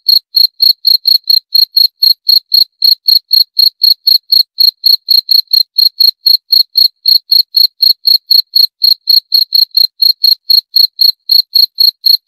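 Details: Long unbroken run of cricket chirping, high and metallic, pulsing about four times per second in a steady rhythm over a quiet background.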